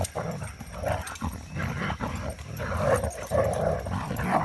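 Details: Three pups tussling in play after three days of rain, finally with room to stretch; continuous low rumbling growls with nasal snarls and yips rising and falling over a faint steady high hum.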